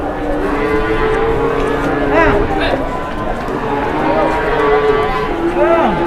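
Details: A cow becomes agitated in Indonesia while cattle are being weighed on a new scale: long, level lowing tones near the start and again near the end, interrupted by excited men's voices.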